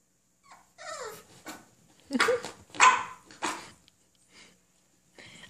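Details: A brindle French Bulldog puppy barks while its owner talks to it. A thin falling whine comes first, then three rough, breathy barks spaced about half a second apart, with quiet pauses around them.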